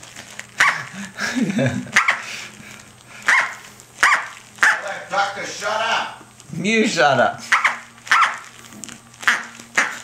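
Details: Six-to-seven-week-old female Corgi puppy Tic-tac playing with her duck toy, giving short high barks roughly once a second, while a person talks over her in long stretches.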